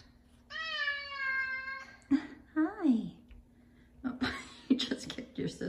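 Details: Five-year-old male F2 Savannah cat indoors in the morning, loudly demanding his chicken early: one long, steady, harmonic-rich meow lasting over a second, followed by a woman's soft chatter greeting the cats.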